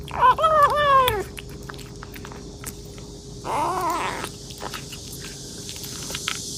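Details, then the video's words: Kitten eating voraciously while meowing: a series of short rising-falling mews in the first second, then a wavering meow near three and a half seconds, with faint chewing and rustling between. "A kitten eating voraciously while making "meow" sounds"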